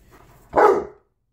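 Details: Tonka, a pet Alaskan Malamute, indoors on his birthday while unboxing his March BarkBox, lets out one short, loud bark lasting about half a second, then the room falls quiet.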